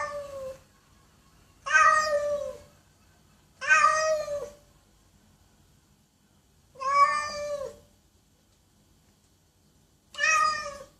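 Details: A cat meows loudly and repeatedly, five rich, wavering meows separated by irregular pauses of one to three seconds, in otherwise quiet surroundings.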